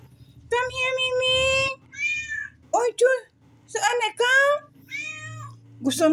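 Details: Domestic cat meowing indoors: a series of loud, drawn-out harmonic meows, some rising then falling, with short pauses between, mixed with a woman's voice greeting the cat.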